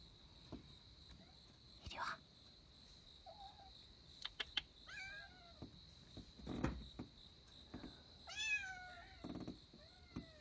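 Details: Kittens giving several short, high, falling mews, scattered among clicks, rustling and a brief voice, with a steady high whine in the background.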